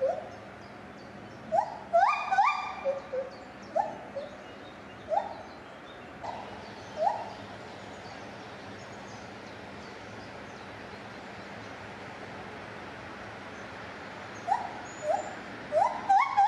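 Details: Lar gibbon at Safaripark Beekse Bergen, 9 July 2021, singing a burst of rapid rising whoops that speed up, then sparser single hoots, a long quiet gap, and a fresh cluster of quick upswept notes at the end.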